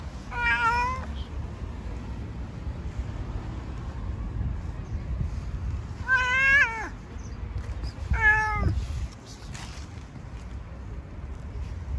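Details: Stray cat living among stones, fed on the street, gives three meows: one short at the start, then two longer wavering meows about six and eight seconds in, over low outdoor rumble.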